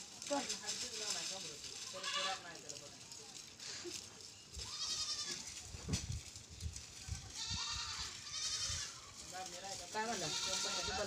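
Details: Goat giving a series of quavering, nasal bleats, several short calls spread across the recording, mixed with human voices and background noise.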